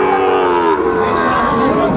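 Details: Sahiwal cattle, bull calves among them, at a crowded cattle market in Comilla, Bangladesh, on 18 October 2024; a steady, low, harmonic lowing drones through the clip over a busy murmur of people and background music.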